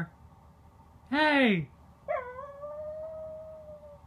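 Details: Pet corgi giving a rising-then-falling yowl lasting about half a second, followed after a short pause by a long, steady, slightly sinking howl held for two seconds; low room hum underneath.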